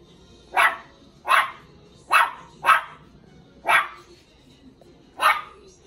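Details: A Cairn Terrier puppy barks at his own reflection in a mirror, inviting it to play: six short, bright, yappy barks with uneven gaps of about half a second to one and a half seconds, in otherwise quiet surroundings.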